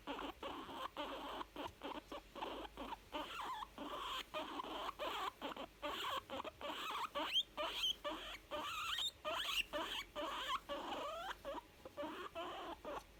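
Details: Young female guinea pig making contented, happy sounds: a rapid run of short squeaky chirps and rising whistled notes, packed closely together and repeated steadily throughout.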